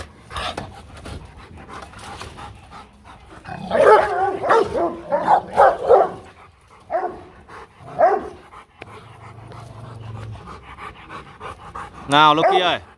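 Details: Rottweiler in a hostile mood, barking to intimidate another dog: a cluster of loud, rough barks in the middle, scattered quieter barks and breathy stretches around them, and a sharp high whining yelp near the close.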